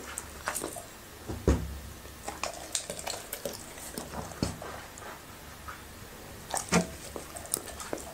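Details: Labrador retriever named Happy eating okra and raw meat indoors: sharp wet crunches and smacking bites scattered irregularly, with a loud low thump near one and a half seconds and a cluster of crisp bites toward the end.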